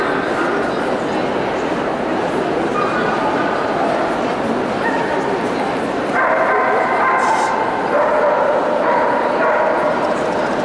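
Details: A female puppy, recorded 22 February 2015, whimpers and yips in high, drawn-out tones, with a person talking nearby.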